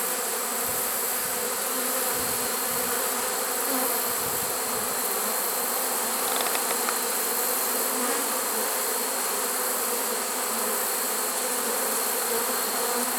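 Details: Honey bee swarm caught in a swarm trap on 1 September 2019, late in the season: a dense, steady, even hum of many bees droning on without pause, with a thin high hiss above it.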